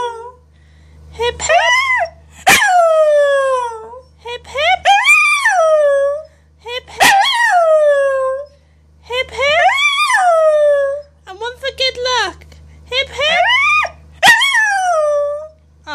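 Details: A female Scottish Terrier "sings" along to happy birthday, howling in a run of drawn-out, wavering yowls that rise then slide downward.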